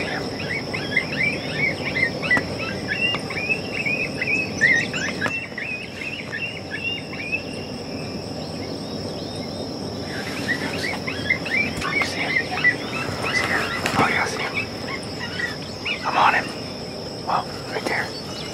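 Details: Summer coyote group calling: quick, high-pitched yips and warbling squeals tumble over one another early on, go quiet, then return in a second, rougher flurry mid-clip, all against a constant buzzing insect hum.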